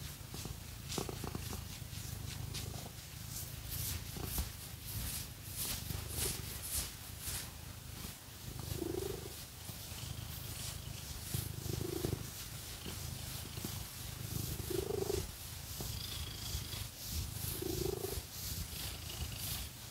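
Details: Purring cat being scratched with fake nails, deep steady rumble throughout with breathy swells every few seconds, mixed with scratching strokes.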